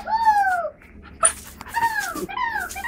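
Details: A four-year-old dog named Jackie at play gives drawn-out, falling whines, two long tonal cries with a brief sharp knock between them and a shorter whine at the end.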